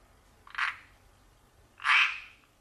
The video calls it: Le chant des Rainettes